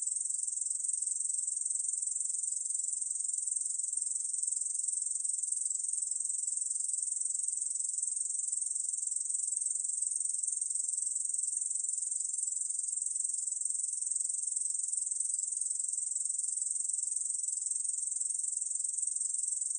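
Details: A long stretch of Korean bush cricket song from a 2020 National Institute of Biological Resources recording: a steady, unvarying, very high sizzling buzz held for about twenty seconds, alone in silence.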